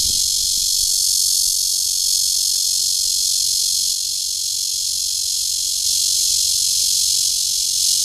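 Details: Cryptotympana holsti cicada calling to court a mate at Guangming Park on Yuanhua Road Section 2, Zhongli, Taiwan; a loud, steady, high-pitched hissing buzz runs unbroken throughout, dipping slightly in volume midway.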